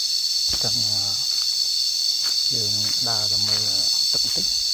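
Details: Cicadas heard while lying down outdoors in nature: a continuous high, shrill buzzing drone running unbroken throughout, with a person's voice talking in short bursts over it.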